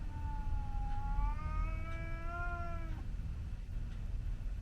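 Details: Garden standoff between a Scottish Fold and a visiting white outdoor cat, one sustained yowl of about three seconds that climbs gradually then cuts off abruptly, over steady low-pitched background noise.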